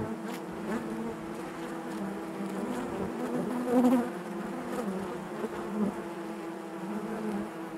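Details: Steady low drone of many honey bees within a hive, a continuous layered hum that rises briefly to a louder swell near the fourth second before settling back.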